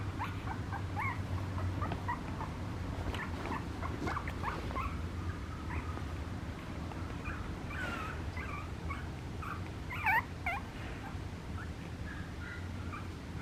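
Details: Young Papillon puppy giving repeated faint, squeaky whines and chirps, some sliding upward, in irregular clusters, with one louder sharper squeak near the end, against steady low background droning.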